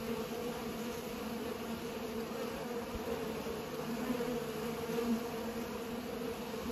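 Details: Pollinating bees produce a continuous humming buzz, layered low tones that swell slightly toward the end, with no other sounds standing out.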